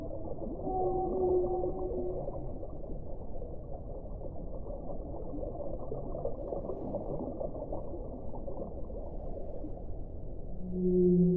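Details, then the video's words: Whale song underwater: drawn-out tonal moans at the start, then a lower, louder steady tone near the end, over a constant deep rumbling wash of water noise. "1 ora di suono delle balene"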